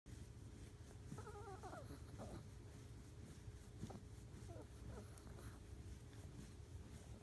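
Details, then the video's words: Pet Chihuahua being massaged, making cute noises: soft high whimpering whines with wavering harmonic tones, short squeaky bursts, steady low hum behind. "Chihuahua making cute noises when massaged マッサージで出すチワワの可愛い音"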